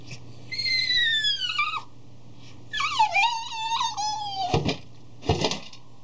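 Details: Three-year-old Cavalier King Charles Spaniel crying piteously at his food dish before eating; long high whines sliding downward, a second wavering drawn-out cry, then two brief noisy clatters like the dish being nosed.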